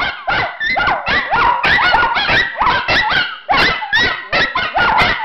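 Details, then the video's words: Miniature Schnauzers Khloe, Ruby and Spencer howling indoors at home, an everyday occurrence; quick repeated howl-yips in rapid succession, each note sliding upward then dropping, voices overlapping. "Miniature Schnauzers Howling!"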